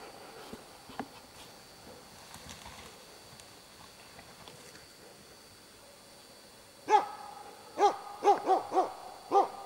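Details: Hunting dog baying at three moose, a cow and two calves, at Båthussjön, Huskölen, in 2008; after several quiet seconds with faint sounds, five loud, clear, tonal barks follow about half a second to a second apart.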